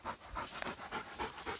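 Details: On a mountain walk in South Korea, a dog pants during a husky's chase of a pregnant deer, with a Labrador retriever also along; rapid, evenly spaced breathy huffs come about every quarter second.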